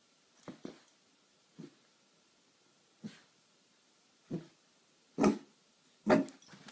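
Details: Boston Terrier desperately trying to play with a new kitten. It gives short, breathy whimpering yelps in separate bursts, about seven in under seven seconds, with the later ones louder and rougher.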